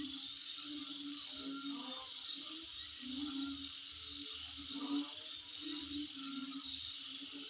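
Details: Insect calling at home: a rapid, evenly spaced train of very high-pitched ticks over a steady shrill buzz, with lower wavering tones rising and falling beneath throughout.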